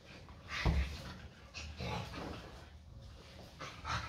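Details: During a friendly play fight with an American Staffordshire Terrier, a Staffordshire Bull Terrier gives a sudden low growl burst near the start, followed by softer rumbling growls and panting mixed with movement noise.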